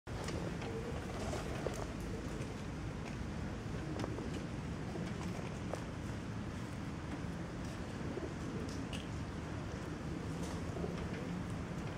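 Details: Soft steady outdoor noise with faint patter and low rumble, no clear animal voice.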